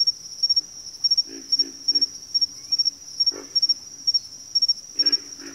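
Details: Grunting frogs in a backwater chorus, three quick low croaks early then isolated bursts later, with a loud continuous cricket drone pulsing in short triplet chirps over the top.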